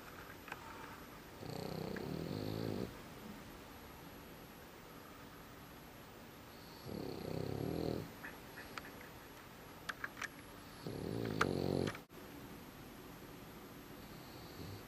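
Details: Very tired dog deeply asleep, snoring: three long, rasping, low breathy snores, one every four to five seconds, separated by quiet stretches with a steady room hum and a few small clicks and shuffles.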